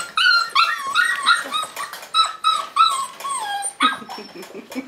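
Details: Five-week-old Tamaskan Dog puppies playing the box game: high whining yelps and squeaky yips, many falling in pitch, coming rapidly in overlapping bursts for a few seconds.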